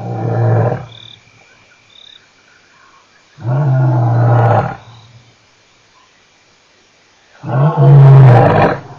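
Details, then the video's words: Male lion at Nkorho on 29 September 2008, giving three deep, rumbling roar bursts about four seconds apart, each roughly a second long, with quiet pauses between. "Male Lion part 2, and some bad noises after he left"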